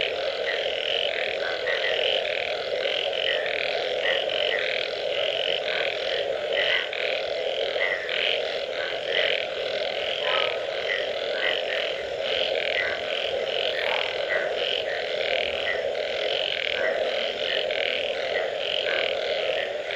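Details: After rain, a crowded frog chorus keeps going without a break. Overlapping rasping notes pulse quickly over a constant buzzing drone, with no single caller standing out.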